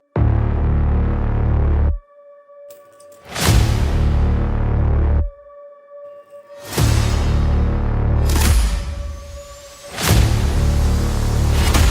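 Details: Deep, booming music with sudden whooshing bursts and sustained tones, and no animal voices. Heavy low-pitched hits repeat throughout.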